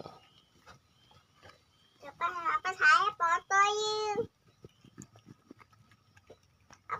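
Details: Village cat at feeding time, offered rice with Bolt pellets and omelette: a run of loud, harmonic meows that rise and fall over about two seconds, with a person talking quietly before and after.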